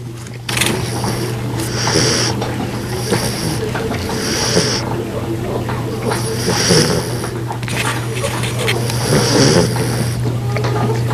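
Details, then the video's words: Sleeping female golden retriever puppy snores in raspy, noisy breaths, roughly every two to three seconds, against a constant low hum and some room noise. "Puppy Snores Like Her Grandfather!"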